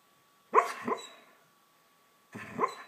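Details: Sleeping dog making cute noises while dreaming: two soft muffled yips, the first a quick double sound followed by a short fading tail, then another brief yip after a pause, indoors with faint background hum.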